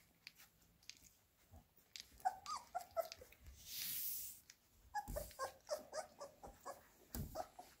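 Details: Labrador Retriever puppies indoors being fed minced beef: short tonal whimpers and squeaks in two bursts, with a soft breathy rush between them and small clicks and rustles in a small room.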